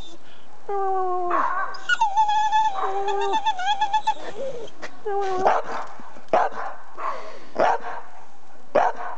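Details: Noisy pet dog barking and trying to sing, giving a funny noise: wavering tonal howls and whines in quick succession, followed by several short barks.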